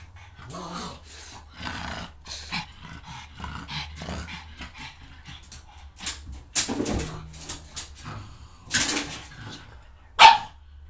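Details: Pug attacking shampoo bottles indoors, giving short growls and snorting huffs, then sharper barks bursting out near the end, with clattering knocks of the bottles between sounds.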